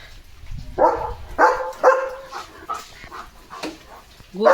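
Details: German Shepherd named Leo romping and barking on a rainy morning; three quick barks close together early on, then softer scattered yips and a final loud bark, mixed with a person's Marathi speech.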